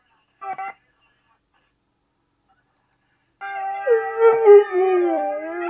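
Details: Siberian Husky singing its howling song: a brief yelp, then nearly three seconds of silence, then a long, sustained, wavering howl with rich harmonics that slides and bends in pitch until the end.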